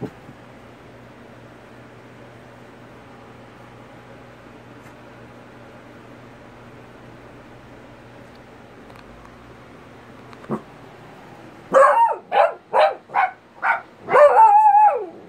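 An Italian Greyhound gives a quick run of high, sharp yips ending in a drawn-out whine.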